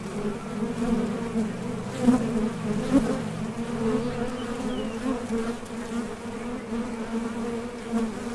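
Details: Honey bees leaving and landing at a top bar hive entrance while foraging for nectar; a thick, low buzzing drone, fluctuating as bees fly close by, with small clicks and brief louder bursts.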